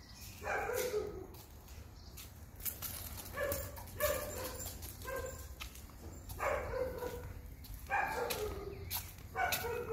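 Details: Rudy, a male setter at a summer house, barking at people and dogs: loud, clipped barks in clusters of two or three, with short pauses between bursts, over faint outdoor background noise.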